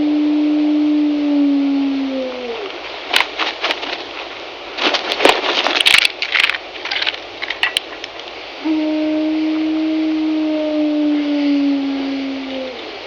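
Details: Gray wolf 907, an 11-year-old one-eyed female in Yellowstone, gives one long, low howl, then two more while pacing in rocks, with deep steady notes sagging in pitch at the end; she called for an hour to her pack more than a mile away.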